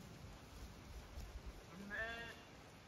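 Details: Zwartbles sheep flock in County Kilkenny, Ireland, galloping out an opened gate to fresh grass; a single short, quavering harmonic bleat near the end, preceded by a low rumble of outdoor noise.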